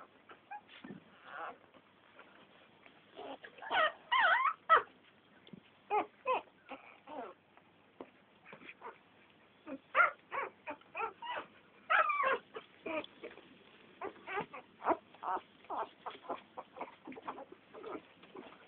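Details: Litter of ten American Staffordshire Terrier puppies giving short, high whimpers and yips in scattered bursts, some squeaky and rising, overlapping from several pups with quiet gaps between.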